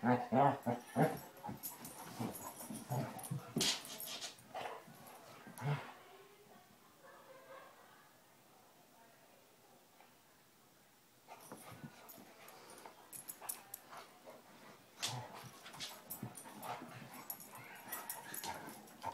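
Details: Two Basset Hounds, Tracker and puppy Ranger, at rough play: dense bursts of yips and growly scuffles, then a quiet lull of several seconds before the noisy tussling resumes.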